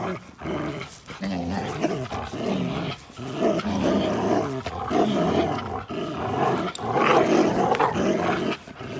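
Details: Play fight on April 1, 2019 between Linus, an American Pit Bull Terrier, and Buddy, a blue Belgian Malinois cross; continuous snarling growls rise and fall over nine seconds, broken by brief pauses and scuffling noise.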